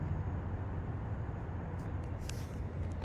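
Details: A low, steady rumble like distant traffic is heard with a few faint clicks, and no animal calls.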